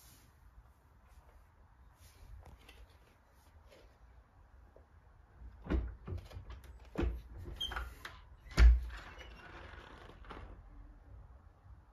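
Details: Household noises, door sounds and soft thumps, with no animal voice heard. Low rumbling fills the background.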